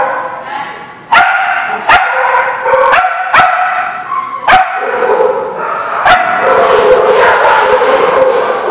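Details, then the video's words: At The Barking Lot on 13 October 2017, dogs bark loudly and steadily while sharp metallic clanks ring out about every second, ending in a continuous chorus of barking. "The Barking Lot"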